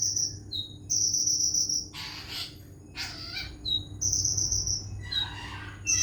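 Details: Cricket sound offered as isian filler for songbird training: sustained high ringing chirps alternating with brief lower notes, broken by two or three broad rustling bursts of noise midway, with a steady low hum underneath.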